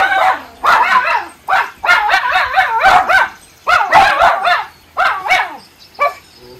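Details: Miniature Schnauzer brothers alert-bark at a chipmunk in the trees on a rainy July morning in Maine. They give a fast, urgent string of harsh, overlapping barks in close clusters, tailing off with softer yips at the end.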